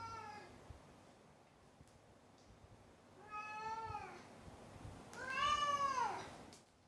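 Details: Pet cat meowing three times, each a smooth rising-then-falling wail, the last the loudest and longest with a strong, bright tone; quiet indoor background between calls.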